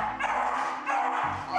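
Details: Bison, a shelter beagle who barks uncontrollably and scares off potential adopters, gives a few sharp, ringing barks over background music.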